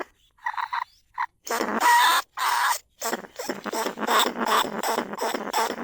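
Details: Caged lesser bandicoot rat calling to lure others, recorded live in rice paddies at Na Lao, Nong Khu Phai; a few short faint squeaks, then loud grating squeals running in a dense, continuous series.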